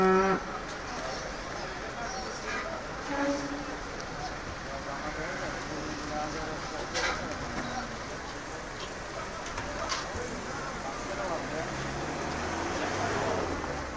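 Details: Cow mooing among farm animals: low, drawn-out moos rise briefly out of a steady rushing background, with a faint voice and scattered clicks.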